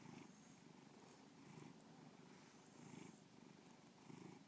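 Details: Softer, fainter purring from Bubba the pet cat, a low rumble with gentle swells about every 1.3 seconds, partly blurred by a hiss of background noise.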